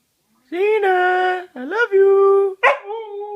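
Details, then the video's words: Siberian husky singing and talking: three drawn-out, tonal howl phrases, the middle one sliding upward and the last starting with a rough break, with a person's voice nearby. "the singing, howling, talking, Siberian husky"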